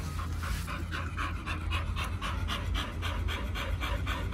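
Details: Rapid, even panting from Pit Bulls Oliang and Nomyen, raw-fed dogs checking in at Dog Space Hotel over Chinese New Year 2020: airy huffs roughly three to four each second, with a low hum underneath.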